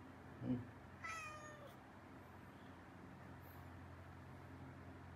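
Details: Indoor male dwarf cat with congenital hypothyroidism, tense since another cat joined the home, now wanting attention and being affectionate with its dad; a soft thump, then one drawn-out meow sliding downward in pitch, followed by a hushed room.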